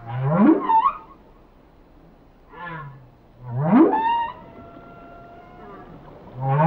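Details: Whale song of swooping moans that rise steeply, then trail off into long, thin, high-held tones, with a softer descending groan between the swoops.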